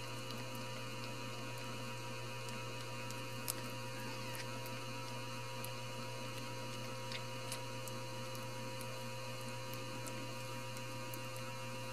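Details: A steady electrical hum fills a small indoor room, broken by faint scattered clicks and light taps, with no animal voice.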